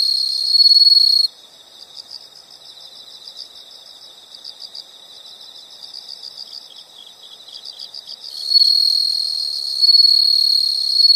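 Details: Insects recorded as soothing background: a short loud buzzing trill, a long run of faint rapid high pulses, then a sustained loud buzzy trill for the last three seconds.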